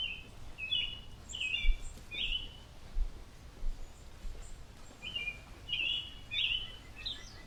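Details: Chipmunks of a family bewildered by an airplane's hum give bright, clipped chirps in two clusters, early and late, with a quiet gap between, over a constant low droning rumble.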